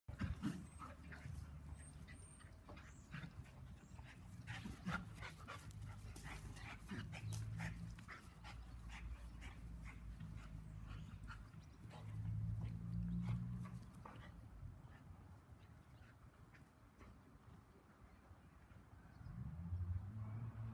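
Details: Two dogs at play over a rope toy: Bonnie the Labradoodle and her new sister Molly, a 10-week-old Bernese Mountain Dog puppy. Low rumbling growls and huffing pants run steadily, with louder bursts near twelve and twenty seconds.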